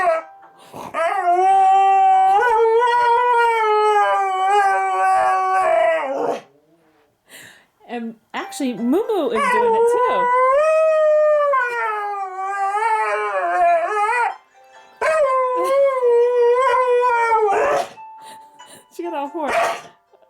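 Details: A female Siberian Husky sings to an alarm clock in long, wavering howls that slide up and down.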